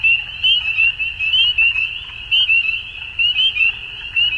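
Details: Many frogs calling together at dusk in spring, Ontario, Canada; shrill, clipped peeping notes pile up into a continuous ringing chorus, with bursts of louder calls about once per second.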